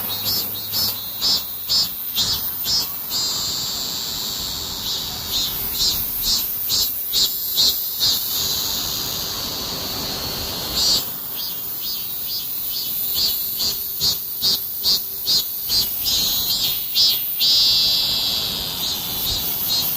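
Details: Cicadas singing in a summer heatwave: a dense, hissing high-pitched drone broken into rapid pulsing bursts more than twice a second, pausing briefly near the middle before the pulsed buzzing resumes.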